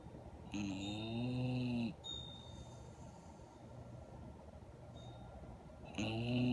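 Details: Female Redbone Coonhound, a year and a half old, snoring while asleep with eyes open and tongue out, Syracuse, NY, 2.6.17: a long humming, buzzy snore, a quiet pause of about four seconds, then another snore begins.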